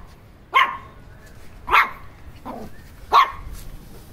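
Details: An irritated Shih Tzu gives three sharp, high-pitched barks, each a short yap spaced over a second apart.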